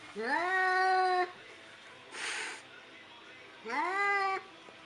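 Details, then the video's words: A scared cat gives two long drawn-out meows, each starting low, rising quickly and then holding steady with rich harmonics for about a second. A brief hissing noise burst falls between them. "Meow Meow Funny Cat Scared"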